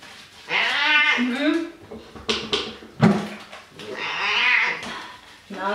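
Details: Male pet cat being showered with soap in a home bathroom, giving two drawn-out, harmonic meows, each about a second long, while a person talks to it over running water and small room echo.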